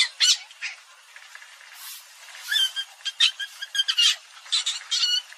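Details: Palm civet giving scratchy, squeaky cries. Brief bursts are scattered at first, then pack into rapid, uneven chatter toward the end. Some notes carry a faint tonal squeal.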